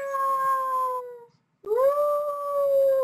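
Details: Young dog weighing about 40 pounds, indoors, howling when coaxed: a steady, pure, drawn-out tone, then a short pause, then a second long, even howl that starts with a slight upward slide.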